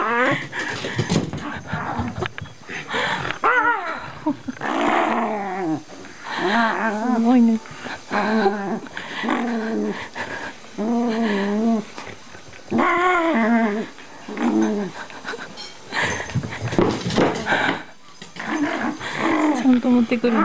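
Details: Shiba Inu switched into play mode indoors, mouthing packing tape; drawn-out harmonic growl-whines recur in bursts of about a second, mixed with human speech in a small room.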